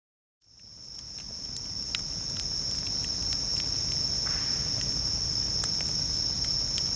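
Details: Bell crickets singing at a campsite beside a campfire: a steady, high, ringing trill that starts after a moment of silence and holds without a break, with soft crackles and pops from the burning fire underneath.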